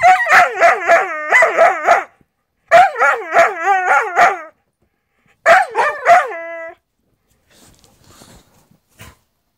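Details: Two Siberian Huskies, a father and his offspring, trade loud, wavering howls, yowls and growls in quick bursts, squabbling over a treat the younger one is lying on while it seeks the father's attention; nobody hurt.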